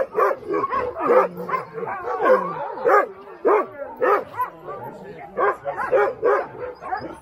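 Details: Alaskan Huskies kept for sled pulling at Snowhook Adventures, Willow, Alaska, barking in a quick run of about twenty sharp, rising yaps over seven seconds, several dogs overlapping.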